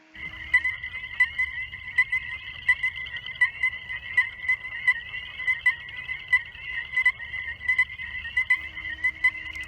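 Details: Male Illinois chorus frogs, a state-threatened species of sand prairies in Illinois, Missouri and Arkansas, give clear, high, whistled peeps over and over: spring mating calls from males gathered at a fishless breeding pond to attract females.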